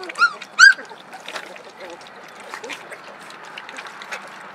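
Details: Hungry puppies at play in their early discovery stage give two sharp, high whining squeals, each bending up then down, followed by soft shuffling and faint rustling.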